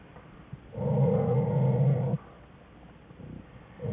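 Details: Two American black bear cubs whining in a winter den beside their mother, January 5, 2013; one steady, buzzy, low-pitched whine of about one and a half seconds stands out against quiet den background.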